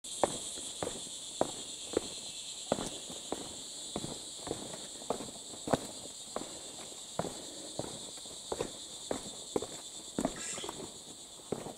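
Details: Unseen wild cicadas singing in forest while descending Mount Kinabalu: a steady, continuous high buzzing drone in two bands, with loud irregular footstep crunches throughout.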